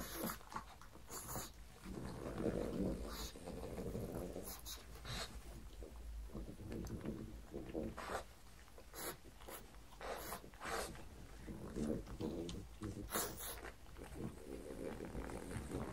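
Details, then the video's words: Pug named Mars indoors at breakfast, offered cucumbers, white bread croutons and beef bacon; low snuffling grunts and snorts run through the clip, broken by sharp crunchy chewing clicks. "ASMR pug eats, pug sounds"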